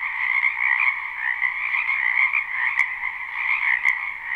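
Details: Frogs in a spring wetland behind a home, croaking together in a live recording: a thick, continuous mass of quick pulsing calls that swells and dips slightly, with two sharp brief clicks.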